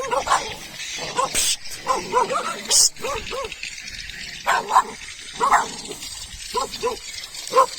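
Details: Domestic dogs in a neighbourhood at Bukit Raka, Malaysia, barking and approaching a forager; repeated short barks in clusters through the recording, mixed with a man's voice and scattered clicks.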